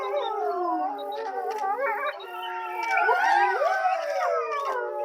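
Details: Zoo grey wolves at Tama Zoological Park, roughly 3 pm, in a group howl. Steady, slowly falling tones hold underneath while a higher voice swells and swoops upward near the middle, with scattered short yelps over the continuous chorus.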